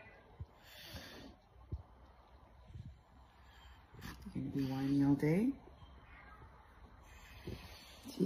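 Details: Dog whining in the morning, one drawn-out, tonal whine about a second and a half long that wavers and rises in pitch toward its end, with a person speaking softly before and after and scattered thumps.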